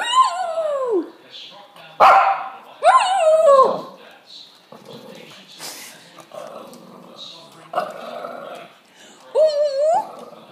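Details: Shih Tzu giving repeated howls, each a wavering cry that starts high and slides down, separated by pauses with faint voices and small rustling noises.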